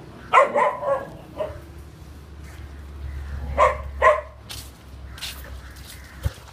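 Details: Mixed breed puppy, one month old, female, abandoned with four siblings and now up for adoption; a few sharp, high yapping barks, one at the start and a pair near the middle, over low background hum.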